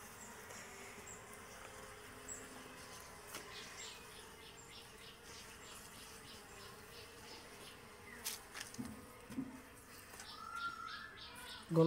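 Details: Honey bees swarming over a native-style hive box during honey harvesting, pushed away with smoke; a long, steady low buzzing hum, followed near the end by clattering and knocking sounds.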